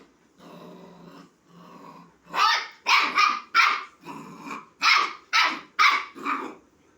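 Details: A puppy calling a kitten to play growls softly, then lets out a quick run of high, sharp yips to invite play.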